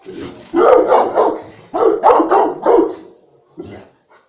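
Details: Rottweiler; bark; guarding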